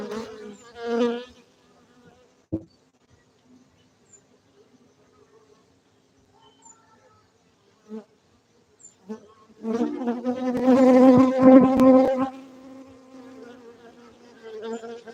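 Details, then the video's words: Honey bees at a honey bee farm in Gayo, Bener Meriah, Aceh, Indonesia: a brief droning buzz at the start, near silence with a few faint passes, then a louder, rich humming swell as bees fly close. "Markaz lebah madu gayo Aceh Indonesia bener meriah"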